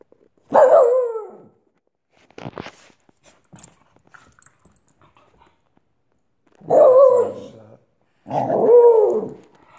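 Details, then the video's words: Olive, a Wheaten terrier, foot biting; three loud harmonic barks or yelps, one near the start and two close together near the end, with faint clicks and rustles between them. "Olive the Wheaten terrier foot biting"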